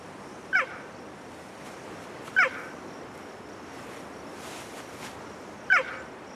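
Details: Mother cheetah on the African savannah calling to find her cubs hidden in tall grass. Three short, sharp, bird-like chirps drop steeply in pitch. They are spaced about two and three seconds apart over a quiet, faintly hissing outdoor background.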